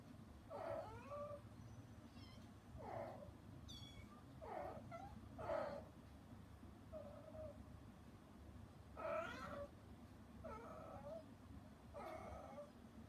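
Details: Hana, a rescued mother cat put outside the room because she disturbed her kittens' weaning meal, meows repeatedly through frosted glass, about eight harmonic wavering calls spaced one to two seconds apart over a steady low hum.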